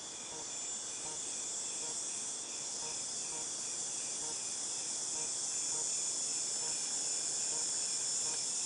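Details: Cicadas in August 2018 filling the air with a bright, sizzling high drone that swells slightly louder toward the end, with faint regular pulsing chirps, about four per second, underneath.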